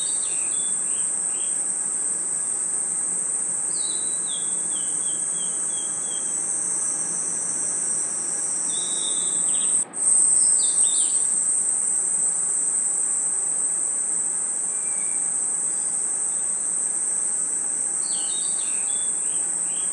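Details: A forest at night full of crickets and insects: one unbroken shrill trill holds steady throughout, dotted with scattered short chirps and descending twitters, plus a brief soft thump midway.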